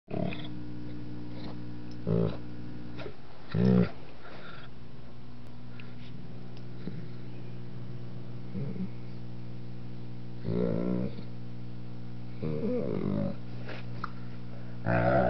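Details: Two-year-old, 125-pound Doberman Pinscher indoors, grunting and whining while an almost four-month-old puppy annoys him; short low, harmonic bursts come every few seconds over a steady electrical hum, and a person speaks near the end.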